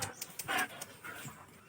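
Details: German Shepherd puppy at home during play, giving a short burst of breathy, rasping panting in the middle, then softer faint breaths in a small quiet room.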